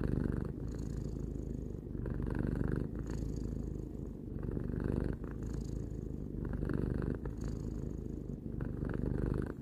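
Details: Pet cat Tarou, three years old, purring steadily: low rumbling cycles repeating every one to two seconds with short dips between breaths, quiet room.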